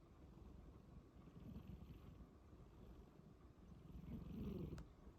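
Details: Domestic cat asleep and snoring: a rough low drone that swells twice, the second breath louder, ending with a faint sharp tick.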